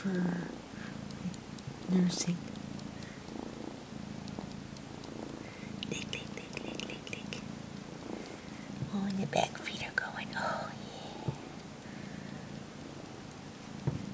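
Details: Kitten about 12 weeks old purring while mock nursing on a faux fur blanket, kneading with his feet; low breathy purr runs beneath a woman's cooing, whispered speech and rustling throughout.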